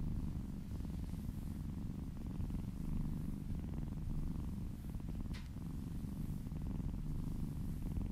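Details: Happy house cat purring during a relaxing massage: continuous deep rumbling purr throughout, with one brief sharp rustle or click near the middle, otherwise calm and indoors.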